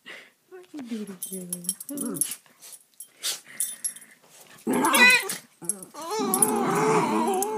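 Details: Two young terrier-mix rescue dogs playing rough indoors; scattered soft growls and yips, then a louder snarling growl toward the end, with a person speaking in the background.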